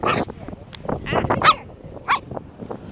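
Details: Chihuahua on a crab hunt: short, bright yaps in an uneven series, loudest midway, with human speech and rustling between the barks.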